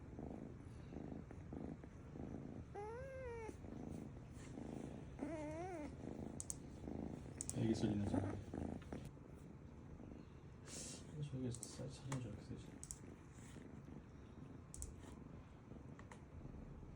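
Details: Kitten that wandered into a woodworking workshop, a resident stray cat present, indoors; two short rising-falling mews around the third and fifth seconds over workshop noise, with clattering and people talking in Korean.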